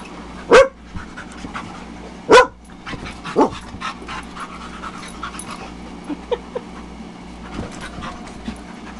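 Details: Tetra the Husky and Myla the Red Lab at play with guest dogs Cole, Gypsy and Gracie: steady rapid panting, broken by a few sharp, bright yips or short barks, loudest near the start, with faint human voices.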